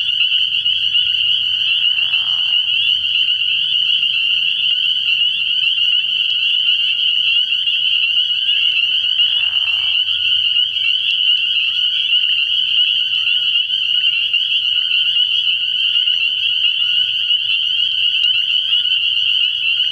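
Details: Frog pond at night early in the year, thick with spring peepers. An unbroken ringing chorus of high peeps runs throughout, and two brief lower, grating calls stand out around two and nine seconds.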